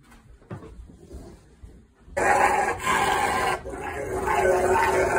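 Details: A Rottweiler in the bath grumbles and moans in a drawn-out, talking-like voice, protesting at having his paws washed after being told there were treats.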